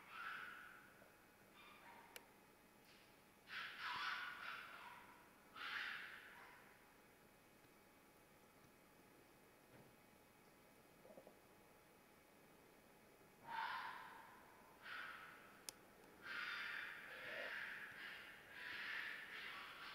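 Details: Red fox screaming during mating season: raspy, hoarse cries in two clusters separated by a long quiet stretch, with a couple of faint clicks in between.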